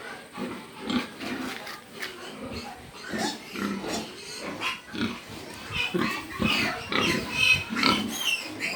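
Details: Pig grunting in rapid irregular bursts, rough snorting sounds with some higher squeaky tones, possibly faint speech in the background.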